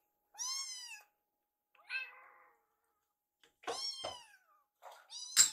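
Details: Rescued baby cats Yuki and Piyo-chan in foster care begging together for their meal in a kitchen; four clear meows, the first long and falling, then a soft short one and two louder rising cries near the end.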